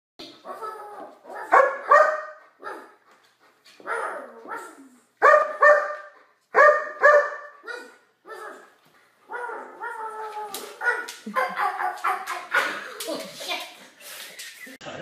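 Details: German Shepherd dog with babies, acting as a protective babysitter and playing with them indoors; a run of loud, harmonic barks and whining yelps in irregular bursts, with a voice speaking in between.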